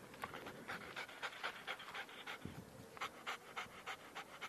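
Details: German Shepherd named Diablesse, known as Adi, during obedience training on 13/09/2013: quick, breathy panting in short bursts, roughly three to four per second, with faint background noise.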